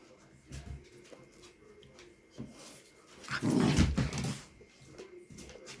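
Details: Dog sounds indoors from a Chihuahua and a pit bull that became friends during the nearly two weeks a found little dog stayed with them; a single low, rough burst rises for about a second mid-clip over quiet room noise.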